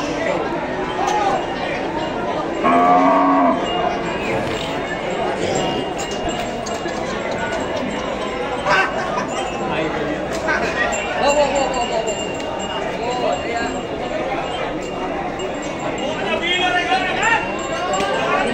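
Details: Cattle at a busy cattle market in East Java, Indonesia, where breeding cows are sold; one loud, low, drawn-out moo near three seconds, then fainter lowing beneath steady crowd chatter, clinking and general market din.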